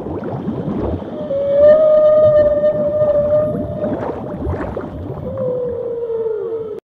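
A humpback whale gives a long, steady moaning tone that slowly slides downward at the end.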